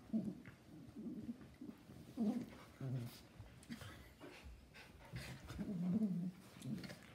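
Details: A miniature schnauzer and a giant schnauzer roughhouse in play, giving scattered low growly grumbles and brief whines with pauses and soft breathing between the bursts.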